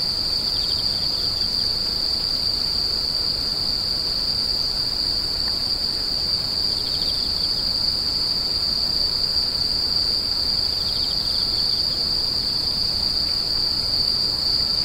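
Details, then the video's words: Insects crying in a continuous high shrill trill that never breaks, joined now and then by faint short chirp bursts slightly lower in pitch, over a quiet low rumble. "The sound of insects crying"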